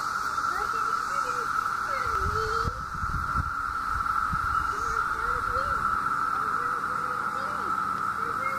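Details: Periodical 17-year cicadas that emerged in summer 2016 in Southeastern Ohio, out in great numbers for about a month: a loud, steady droning chorus holding one even pitch throughout, with people talking over it.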